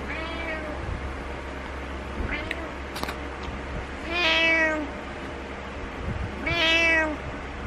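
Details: Butters, a house cat wanting its owner to wake up, lets out a faint short mew followed by two loud, drawn-out meows with rich harmonics, with a low background hum throughout.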